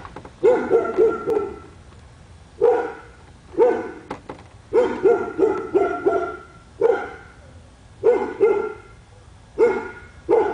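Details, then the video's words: Pet dog barking in a residential neighbourhood on Spruce Street, Royse City, Texas, said to bark for hours a day; bursts of two to four sharp barks repeated every one to two seconds. "Our dog barking"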